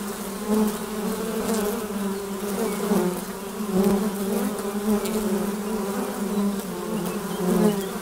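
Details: Many honey bees in flight at a hive entrance make a steady buzzing drone. Louder surges come every second or two as individual bees pass close by.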